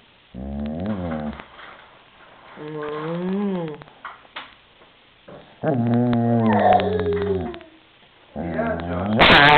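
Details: Female German Shepherd growling while guarding her toy. Low, wavering rumbles with harmonic whine-like tones arrive in three separate bursts. People talk softly between and over them, and there is a sharp noise at the end.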